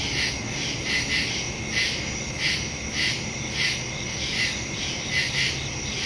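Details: Nighttime woodland crickets, recorded on September 2, 2023, with a phone and stereo microphone: bright, high trilled pulses roughly every half second to second, layered over a continuous high buzzing chorus with no other clear sounds.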